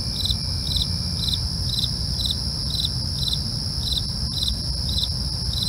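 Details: Night crickets in a real recording give evenly spaced chirps, roughly two to three each second, above a constant ringing high trill and a dull low-pitched background rumble.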